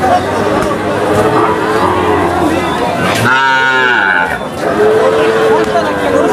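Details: Cattle market with Friesian cows for sale: one loud, rising then falling moo lasting about a second, then fainter lowing, under constant crowd voices and market noise.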